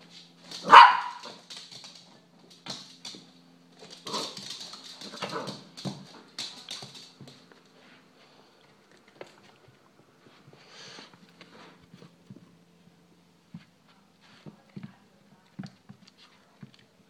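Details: Luna, a little pet dog sitting at a kitchen table indoors, begging for food: one sharp, loud bark right at the start, then a few seconds of softer, muffled yips and whimpers, fading to faint scattered clicks and taps.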